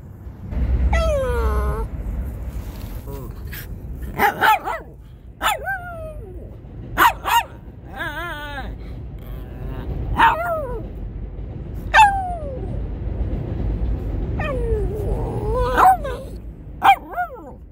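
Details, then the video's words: Shih Tzu in New York mixing sharp barks and yips with high falling whines, sounding every second or two, over a low rumbling background. "Shih Tzu Barking Noises"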